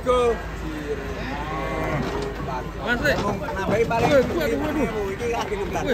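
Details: Loose, agitated cattle moo in short bursts of bending, rising-and-falling tones, some overlapping, with music playing throughout and possible human voices.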